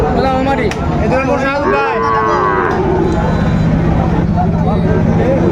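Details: Sahiwal bull calves at a cattle market where Dhaka farmers buy stock, 30 August 2024: low, drawn-out harmonic lowing rising and falling over several seconds, mixed with bargaining voices, crowd chatter and passing vehicles.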